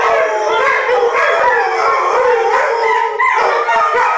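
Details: Malamute pack of six howling on cue from their owner; a busy chorus of overlapping quavering voices, with pitches gliding up and down in short woo-like phrases.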